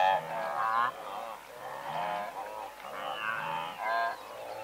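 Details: Blue wildebeest herd of several hundred, recorded at medium close range: overlapping nasal, honking calls with stacked harmonics, several animals calling at once in bursts of about a second, with short gaps between.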